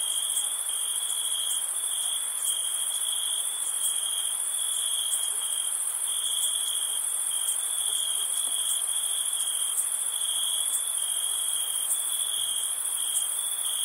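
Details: Night-time crickets in summer keep up a continuous high trill, briefly interrupted now and then, while a shrill, steady shimmer of more insects sits above it for the whole stretch.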